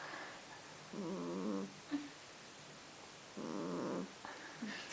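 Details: Kitten snoring, said to snore whether asleep or awake: two low, droning, harmonic bursts of about half a second each, separated by quiet hiss, with a small click between them.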